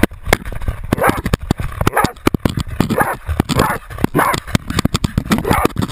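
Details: GoPro-mounted Jagdterrier Otto baying a 250 lb boar; rough, strained barks come in uneven bursts amid heavy crashing, rustling and knocking noises of movement.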